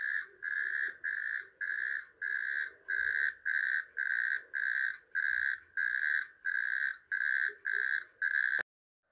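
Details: Polish natterjack toad, described as the country's least-known toad, giving a series of short, even, rattling trills about half a second each, closely repeated; the sound cuts off abruptly near the end.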